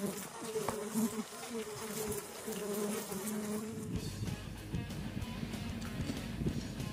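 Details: Melipona mandacaia colony in the Caatinga during queen replacement at winter's end, giving a low steady drone of many bees with shifting hum tones; the second half turns rougher and noisier with handling rustle.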